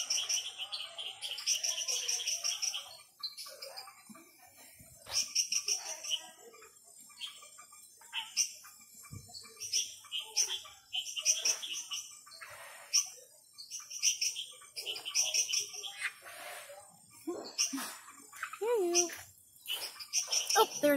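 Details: Night chorus of frogs at the Ara Ambigua frog garden, many high clicking chirps and brief rattling trills from several animals, bunched into irregular bursts with short quiet gaps, a faint voice near the end.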